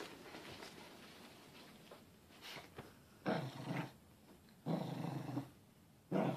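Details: Growling from a confused Corgi indoors: a soft rumbling stretch, then three loud, rough, noisy bursts roughly every one and a half seconds, with some human voices nearby.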